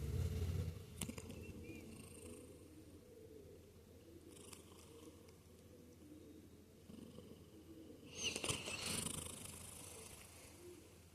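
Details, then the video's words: A cat purrs and snores while asleep, giving a soft, even low rumble throughout, a louder breathy rasp near the end, and otherwise still, quiet surroundings. "Cat Purring Snoring"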